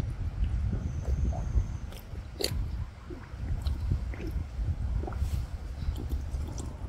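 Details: Aldabra giant tortoises drinking, gulping down water by sucking in big mouthfuls through the nose; soft wet gulps, slurps and small clicks scattered over a low rumbling background, with quiet crunch-like transients.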